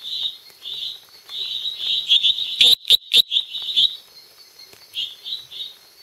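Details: A small male lesser treefrog (Dendropsophus minutus species complex) calls at night at Los Lagos, Beni, Bolivia, giving short, high, buzzy notes repeated in quick bursts.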